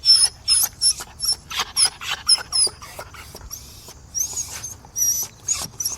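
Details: Dog begging, giving a rapid series of short, high-pitched whines and yelps, some with thin whistled squeaks, in bursts about twice a second with brief pauses.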